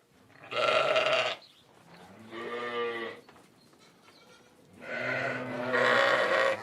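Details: Sheep bleating in three loud, harmonic, wavering bursts. Each lasts about a second, with quieter pauses between them.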